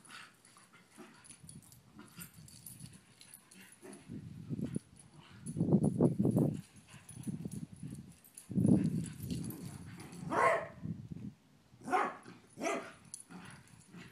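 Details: Two family dogs, called cousins, meeting to check they still get along before a sleep-over; low, rough growly bursts come in clusters from four seconds on, rising in loudness, with a few sharper higher yelps near the end.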